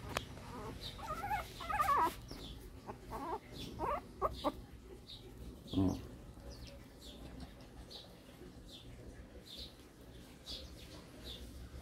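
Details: Newborn Shih Tzu puppies, more of them just arrived in 2014, indoors while the mother tries to carry a pup back to the box; thin high squeaky whimpers in short bursts, mostly in the first five seconds, with quiet human talk underneath.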